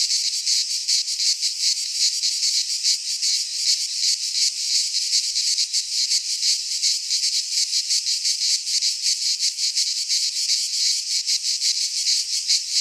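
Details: Cicadas singing in midsummer in a Greek pine forest, a dense chorus of many insects: a continuous harsh, high buzzing that pulses roughly three times a second, loud and unbroken throughout, with no other sounds.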